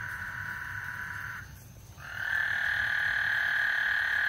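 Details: Frog chorus ahead of a thunderstorm on Lake Houston; a sustained trilling drone stops briefly for half a second, then swells back louder and continues steadily.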